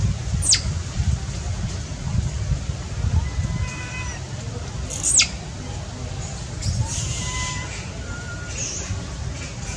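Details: Hungry baby monkey without its mother, needing milk: two piercing squeals dropping fast from very high pitch, a few seconds apart, with faint thin tonal whimpers in between and a steady low hum beneath.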